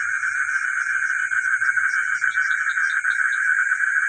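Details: Frogs calling at night in a village, a dense, steady chorus of rapid trilling notes with no pauses, over a constant high insect-like hiss and faint low pulsing beneath.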